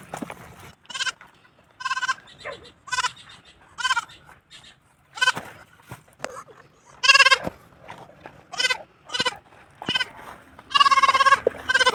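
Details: Newly bought goat on a farm in La Union, bleating while looking for its mother: a long series of wavering, nasal bleats with a quavering tremolo, coming roughly every second, some short and some drawn out, with quiet pauses between.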